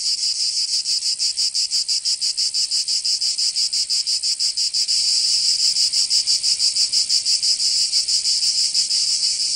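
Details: Cicadas singing in summer in Provence, southern France: a dense, high, hissing buzz pulsing about three times a second, steady throughout and growing slightly louder halfway through, with no other clear sounds.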